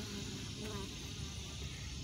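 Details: Honey bees at a hive holding queens banked above the excluder, a steady dense buzzing hum throughout, low and droning with no breaks.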